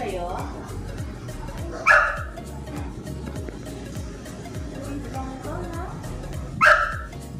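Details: Luigi, a pet English bulldog, gives two short, sharp barks about five seconds apart, each a loud burst standing out over steady background music and people talking in Tagalog.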